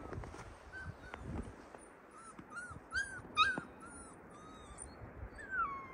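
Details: Whimpering from captive Yakut wolves in an open enclosure: a run of short, arched whines, louder bursts around the middle, and a falling whine at the end over low background noise.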